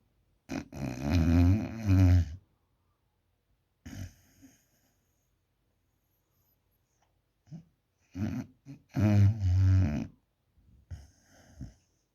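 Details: Sleeping puppy snoring indoors: harsh, low rumbling snores in bursts of one to two seconds, separated by quiet pauses, some short and faint, with the loudest snores near the start and around the eighth to tenth second.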